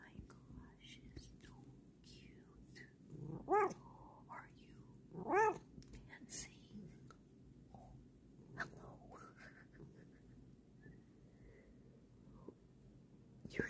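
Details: Female house cat gives two short, clear meows a couple of seconds apart, each a bright tone that rises and falls, while soft whispered human voices and light handling noises carry on around her.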